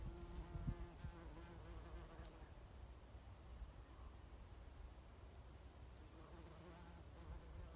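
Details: Foraging on Oregon grape at Lewis and Clark National Historical Park, a bumblebee gives a low droning hum, strongest in the first two seconds and returning near the end, with soft thumps and steady low background rumble.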